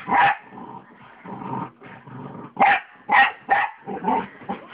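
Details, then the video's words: Two small dogs, a pug and a mixed-breed, playing on a bed indoors: bursts of growling and short yappy barks in uneven clusters, with quieter grumbling between. "The Little Dogs Playing"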